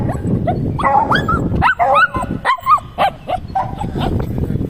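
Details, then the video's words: Shih Tzu pet dog making various sounds: a rapid run of short, high, squeaky yips and chirping whimpers, several per second, over a rough low background rumble. "Shih Tzu making various sounds"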